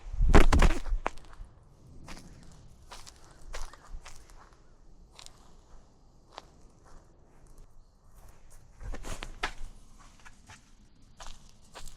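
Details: Outdoors, irregular footsteps and light crunching taps come and go over a quiet background.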